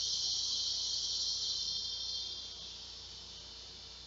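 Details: At midday on a hot summer day (12:10 p.m., 2 August 2016) in San Saba, Texas, a large male cicada beside a front door calls for females with a steady, high hissing buzz that slowly fades, quieter than its loudest.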